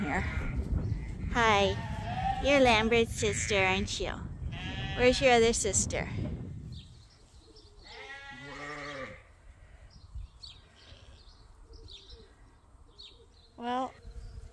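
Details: Sheep at Ewetopia Farms, waiting in the morning to be turned out onto pasture, give a run of quavering overlapping bleats, then a lone bleat after a pause and another near the end, with low background rumble.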